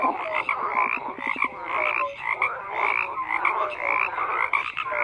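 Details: Many frogs croaking together in a dense chorus, overlapping short pulsed croaks and brief tonal notes layered continuously with no pauses, a steady wall of calling throughout.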